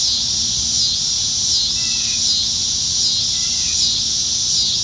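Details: Masses of cicadas calling from trees on a Nebraska summertime evening, July 2019: a constant high, hissing buzz with slight undulations, plus two brief faint chirps from another animal partway through.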